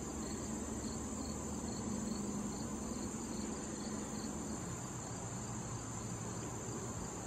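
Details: Crickets calling in late summer beside a wild thistle patch visited by butterflies and bees: a steady high shrill drone overlaid with soft pulsed chirps repeating several times a second, over a low rumbling hum.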